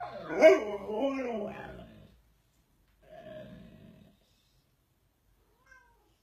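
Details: Siberian Husky "talking": a wavering, whiny vocal run of about two seconds that bends up and down in pitch, followed by a quieter, grumbling murmur and then silence.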